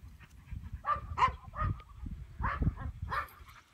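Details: Five or six irregular, throaty barks come from a two-year-old male English Pointer of Elhew lines. Some barks are spaced close together and others further apart, over a low, steady rumble.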